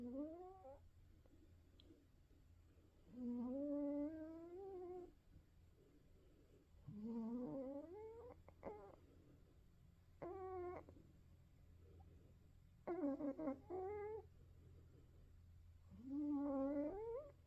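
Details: Old male Norwegian Forest Cat asleep indoors, snoring louder with age: wheezy, tonal snores that rise in pitch on each breath, repeated roughly every three seconds, with steady low room hum underneath.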